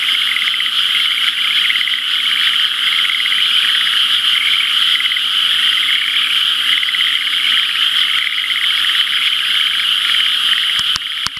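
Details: Many frogs calling together in rain-filled rice paddies the day after rainfall, while the irrigation canal is still dry; unbroken rapid trilling and pulsing from countless callers, with a few sharp clicks near the end.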